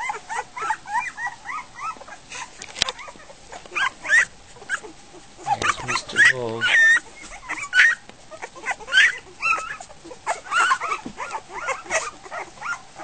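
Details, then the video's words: Litter of week-old Goldendoodle puppies at dinner time after the mother leaves: many overlapping squeaky whimpers and squeals with rising pitch, broken by brief pauses, plus faint human voices and laughter. "Goldendoodle puppies - dinner time"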